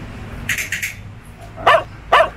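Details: Belgian Malinois during clicker training: faint short bright bursts early on, then two sharp, abrupt barks about half a second apart near the end, over low background hum.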